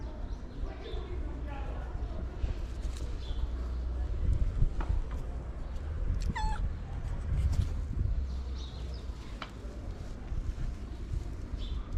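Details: Ginger cat with a long mustache, asking for love and food, lets out a single short falling meow midway through steady low background rumble, with faint voices and scattered thumps.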